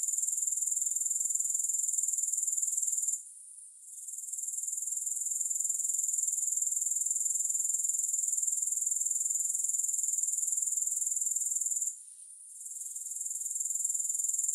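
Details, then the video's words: Soothing grasshopper chorus without music, a shrill continuous trill at one high pitch that drops away twice, near three and twelve seconds, each time returning after a moment. "Grass Hopper Sounds"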